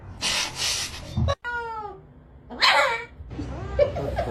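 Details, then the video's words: A kitten gives one short meow, a clear tonal call that slides downward, set between bursts of rustling and handling noise. "kitten meowing cute"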